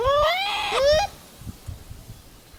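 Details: Wild Japanese macaque responding to another's calls with a long, loud, harmonic coo that climbs steadily in pitch, then a shorter second rising note, followed by quiet rustling.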